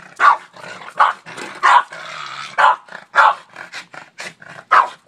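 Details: Oreo the Boston Terrier barking at a shovel, a daily habit; loud barks about every half second to second, with a growling stretch between them and softer huffs.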